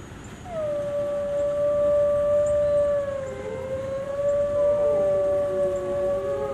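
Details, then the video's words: Zoo gray wolves in Washington, DC howling: one long, level, sustained note held for several seconds, joined midway by a second wolf whose lower, wavering howl overlaps it. "Wolf Howls at DC Zoo"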